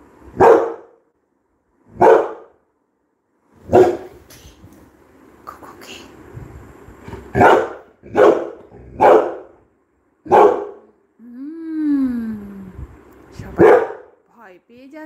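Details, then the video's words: Labrador Retriever named Coco barking indoors, single sharp barks spaced one to two seconds apart with a rising whine near the end; background music and a person speaking Bengali. "CRIMEMASTER COCO - THE LABRADOR"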